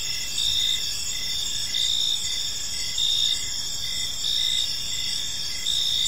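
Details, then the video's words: Evening chorus of crickets in a quiet park, several continuous high-pitched trills overlapping, plus short chirp bursts returning roughly every second; a faint low background noise runs throughout. "Park Serenade: Cricket Sounds in a Peaceful Park"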